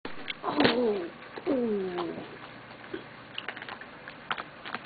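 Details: A family of raccoons at 2:30 AM, grown nervous at the sound of a newspaper-delivery car before leaving, gives two soft, tonal, cooing calls that rise and then fall, each about half a second long.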